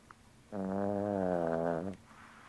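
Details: Pippa, a sleeping Yorkshire Terrier, lets out one steady, low, buzzy snore lasting about one and a half seconds. The tone stays even throughout and fades quickly against a quiet background.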